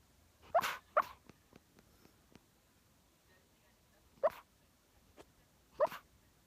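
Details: A poodle dreaming in its sleep gives four short, muffled huffing yips, two close together near the start and two more spaced a couple of seconds apart later, with quiet in between.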